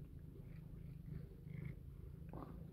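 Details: A female domestic cat purring during play, gently mouthing a finger; continuous low, even rumble of purring with faint rustles and a brief higher squeak near the end.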